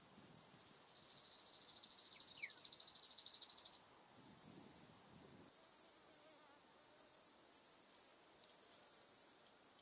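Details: Stenobothrus fischeri, the southern heath grasshopper, recorded 15 July 2020 on the sand hills of Oberweiden, Austria: a loud, hissing pulsed song for about three seconds, then softer broken bursts and a renewed quieter buzzing phrase.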